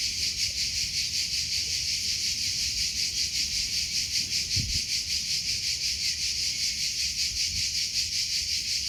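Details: Cricket chirping outdoors, a dense high-pitched shimmering trill pulsing steadily about two and a half times per second throughout, with a soft low rumble of wind and one brief thud near the middle.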